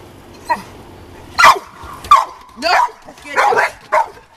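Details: Dogs playing with a balloon, giving several short yelping barks and whiny yips at irregular intervals, mixed with excited squeaky sounds.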